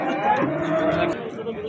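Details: Bull at a livestock market in Amudaryo, recorded 27 April 2025, giving a short, low, steady moo over market noise and nearby voices.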